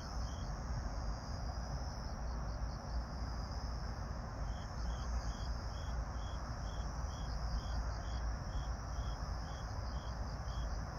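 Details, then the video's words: Grass insects singing at dusk, 26 September 2022, 18:46: a lone chirp at the start, then a long even run of sharp high chirps roughly twice per second, a faint steady whine, and a loud low rumble throughout. "풀벌레 소리 들으며"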